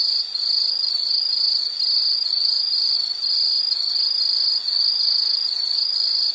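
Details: High-pitched insect trilling carries on without a break, the rapid pulses wavering slightly in loudness every second or so over a quiet background.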